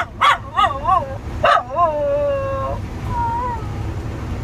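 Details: Homesick pet Wire Fox Terrier howling at her owner's prompting while missing her family: a few yelping wavering barks, then a long sliding wail falling and levelling off, followed by a softer wobbling whine.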